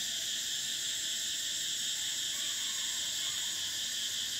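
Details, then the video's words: Unbroken shrill drone of summer cicadas, several high buzzing bands holding steady at even loudness from start to finish. "Cicadas: the sound of summer"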